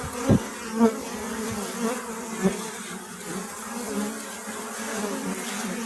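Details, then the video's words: Bees humming in a steady low drone, a dense band of buzzing with overtones, broken by a few brief louder buzzes as individual insects pass close in the first three seconds. "أصوات النحل . صوت النحل.طنين النحل.Bee Sound Effect"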